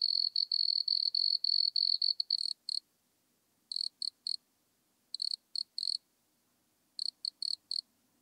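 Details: Nemobius sylvestris, the wood cricket, at Altenberg, Austria, 9 August 2022, captured with an ultrasound detector: a fast run of high chirps, then short clusters of two to four chirps separated by silent gaps, over faint low background hum.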